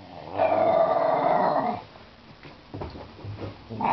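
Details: A pet dog growling during play at a laundry basket with a toy inside; one sustained, rumbling growl of over a second, then quieter scuffling and a fresh growl starting at the end.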